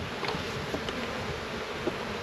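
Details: Honey bees crowded at the hive entrance of a newly opened hive during a New Zealand summer hive check give a dense, steady hum, a low even drone with a few brief louder ticks, calling stray bees back home.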